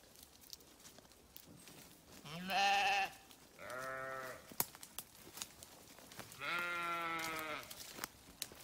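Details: Sheep grazing on farmland give three separate wavering bleats spaced a few seconds apart, each rich in harmonics and lasting around a second; the first is the loudest, the second lower in pitch, with soft background rustle between calls.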